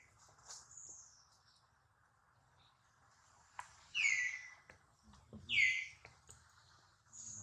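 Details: Injured baby monkey Duke, with worried mother Duchess, lets out two strong, high, falling squeals about one and a half seconds apart, preceded by thinner whines, over a soft low hum.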